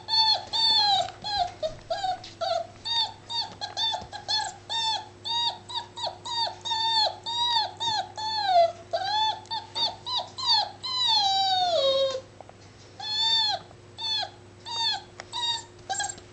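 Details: Seven-week-old Labrador Retriever puppy at play, giving a long run of high, whiny whimpers with bright harmonics, most falling at the end, in quick bursts about twice a second, one longer sliding whine near the end; steady low hum underneath.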